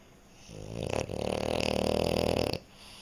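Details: French Bulldog snoring while asleep indoors: one long, loud, raspy rattling snore lasting about two seconds, buzzy and continuous, in a quiet room.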